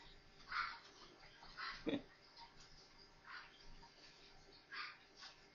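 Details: Four newborn Maltese puppies playing together give soft squeaky whines and grunts in short bursts about once a second, with one lower rasping growl partway through, over a steady faint indoor hiss.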